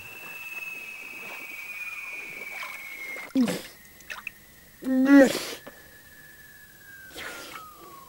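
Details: Seal song beneath Antarctic ice urging a pup to dive: one long thin whistle sliding slowly downward across the whole stretch, broken by a few brief bursts of watery, crackling noise.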